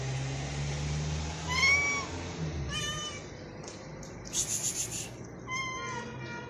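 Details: One of two hungry stray cats being fed; repeated clear meows, each arching up and down, about four across several seconds, with a burst of rustling noise between them over a low background hum.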